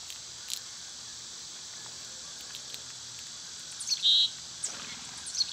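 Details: Continuous shrill buzzing of cicadas in summer. A bright, brief bird chirp breaks through near the middle, with a few faint clicks and taps around it.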